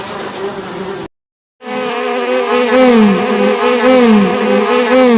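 A fly's steady, low droning buzz, rich and nasal, its pitch wavering up and down as it moves. A short silent break comes near the start.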